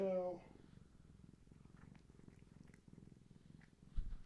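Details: Gaia, a long-haired tabby pregnant with many kittens, purrs indoors in the afternoon while her unborn kittens are active and she rubs against a person holding her steady; a steady, low, pulsing rumble for about three seconds after a brief human voice, ending in a soft thump.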